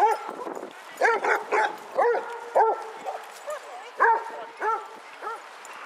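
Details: Group walk of 22 Basset Hounds at Hazlehead Park in Aberdeen, Scotland, 2 February 2014: several dogs bay in bursts, rounded harmonic barks rising and falling, some doubled, spaced irregularly over faint background noise.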